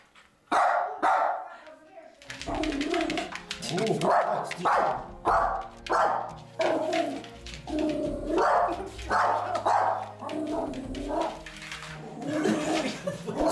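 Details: A frightened Yorkshire Terrier barks in quick, sharp bursts at a large pumpkin lying on the ground while a person talks nearby.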